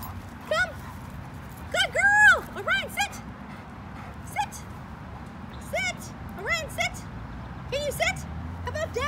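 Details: German Shorthaired Pointer dog undergoing obedience training whines and yelps in high, arching cries, about a dozen in bursts over nine seconds, loudest near the start, against a quiet humming background.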